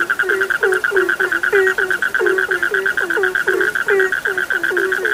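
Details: Dense frog calling: quick, low, downward-bending croaks several per second, some higher squeaky notes mixed in, all over a constant high-pitched pulsing drone from more frogs.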